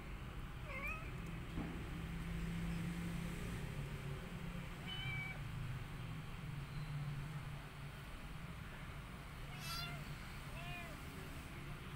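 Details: Rescued mother cat caring for her own kittens and an adopted kitten; three short high mews, each a quick rising-then-falling arc, spaced several seconds apart over a steady low hum.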